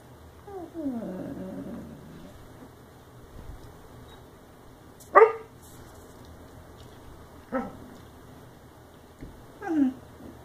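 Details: A sleepy Husky/Labrador mix puppy gives a wavering whine, then a few short yips and squeaky whimpers.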